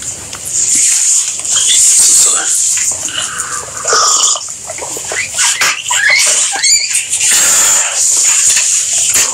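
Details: Guinea pigs squeaking: short chirping squeaks, then brief rising whistled notes near the middle and again around the seventh second, over a steady hiss with scattered rustling clicks.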